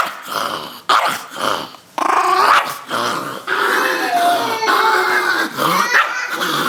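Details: Chihuahua named Rosco, indoors, growling at being taken to the shower; a sustained harmonic snarl rising into higher whiny growls with sharp yips, broken by short pauses, a person coaxing softly in the background.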